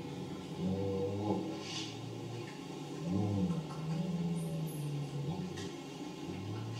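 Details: Elephant rumbles, normally too low for humans to hear, sped up two and a half octaves into alternating droning harmonic calls between a female and a male, with ear flapping; very low-frequency sound travels far.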